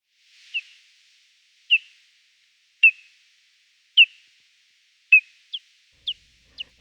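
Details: Echolocation of a hoary bat captured with a bat detector and slowed to audible range: short sharp descending chirp pulses, about one per second, then quickening to closer-spaced pulses near the end, against silence.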